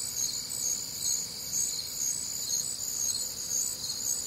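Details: Night chorus of crickets on a warm, humid Midwestern summer evening, shrill overlapping trills swelling gently in loudness about twice each second.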